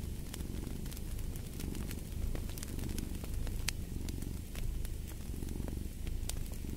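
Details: Steady low purr from a cat, a soft buzzing rumble with gentle swells every second or two, mixed with bright crackles and pops from a fireplace.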